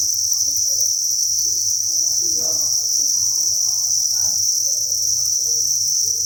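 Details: Thousands of crickets at a cricket breeding farm, recorded alongside egg laying, keep up a dense, unbroken high-pitched chirping chorus that holds steady throughout, with faint low murmurs underneath.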